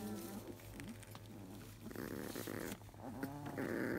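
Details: Field-type Labrador Retriever puppies, 23 days old, fidget after morning nursing, perhaps a little cold and grumpy, whining and grumbling in short, wavering, nasal squeals over a steady low hum.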